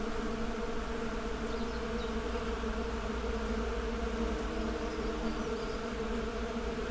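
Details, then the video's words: Continuous swarm-like buzzing of honey bees, a thick even hum without breaks, and a few faint bird chirps high in the background. "Bee Symphony: Soothing Natural Sounds for Relaxation"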